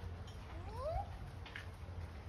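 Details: At Burgers' Zoo in Arnhem, the Netherlands, a siamang gives a single clear, rising whoop that slides upward and stops abruptly.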